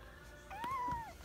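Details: Kitten Ohana, a pet lounging in a kotatsu, gives a single short mew: a clear tone that rises, holds level, then dips away, in a quiet indoor room.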